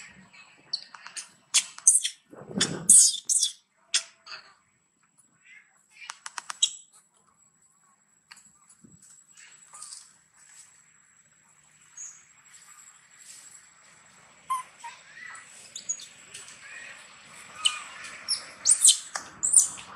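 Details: Young monkey named Brinn, being weaned, cries loudly to its mother for milk; sharp high-pitched shrieks come in bursts, clustered around the third second, then fade into scattered squeaks and a soft rustling background.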